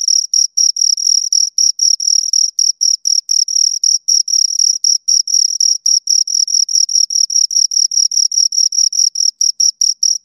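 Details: Two crickets stridulating, shrill high chirps running in quick, slightly uneven bursts with brief gaps, as if the two callers overlap, over complete quiet.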